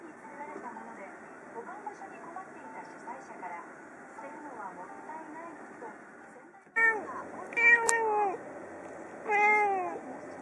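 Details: Domestic cat Yukke on a kotatsu by the window in the morning, meowing at birds outside as a greeting while watching them; after a faint murmuring start, three loud, clear meows with rich harmonics arrive in the final four seconds.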